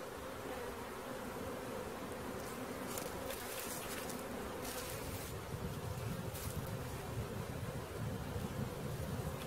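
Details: Honey bee swarm being caught, a dense continuous droning hum holding steady throughout, with brief crackling knocks and rustles around the middle.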